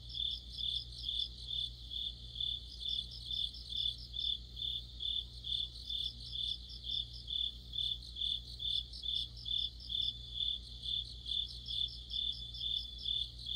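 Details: Autumn insect orchestra led by crickets, a bright high trilling chorus pulsing in regular bursts roughly every half second, overlapping callers weaving together, with a constant low hum beneath.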